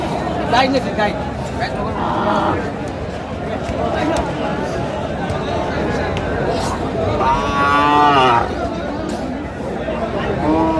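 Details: Cows at the Aftabganj cattle market, Dinajpur, on 5 March 2025 in Ramadan, where lean, bony cattle are traded. A drawn-out, wavering moo rises and falls near the end, surrounded by crowd noise and people talking.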